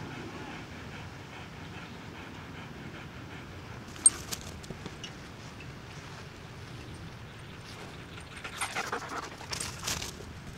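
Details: Bella the dog pants fast and soft, roughly three quick breathy huffs each second in a steady rhythm while out walking with her owner, with brief rustling and clattering bursts near the end.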